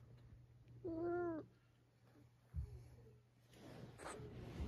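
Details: Pet cat at home trying to reclaim its bed from the father of the household, giving one clear drawn-out meow, then quiet with a steady low hum, a thump and rustling.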